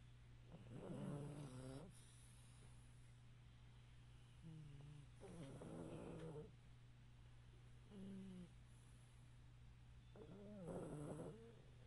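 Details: Chubby pug dog asleep while sitting up on a couch indoors, snoring in rough, harmonic-rich bursts with wavering pitch, four snores spaced several seconds apart over a steady low hum.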